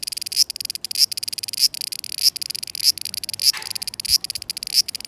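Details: Cicadas singing in summer 2020, a dense high shrill buzz held throughout, with sharper pulses rising out of it about every 0.6 seconds.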